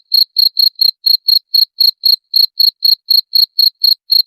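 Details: High, piercing cricket chirps repeated about four times per second, some pulses slightly doubled, nothing else audible; sound intended for repelling rats.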